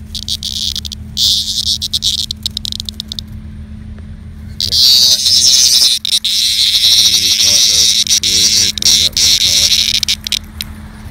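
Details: Annual cicada caught by a pet dog and examined up close: harsh, high buzzing in broken bursts for about four seconds, then a loud, steady rasping drone with brief dropouts, while a person talks over it.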